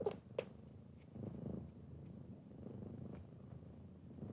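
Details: Kittens resting with their mother give a soft, steady low purr with rhythmic pulsing. A couple of brief clicks come near the start of the clip.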